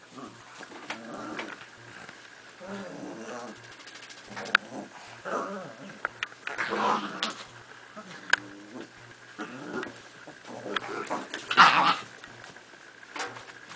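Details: Miniature Pinschers at tug of war with a toy, making quieter, broken growls with scattered sharp snaps and a louder scuffling growl burst late on.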